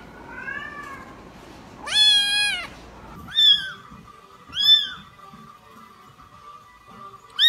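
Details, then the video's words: A soft kitten mew followed by a loud, clear, high meow, then shorter sharp mews at irregular intervals over a faint steady tone, in an indoor setting. "Kittens meow"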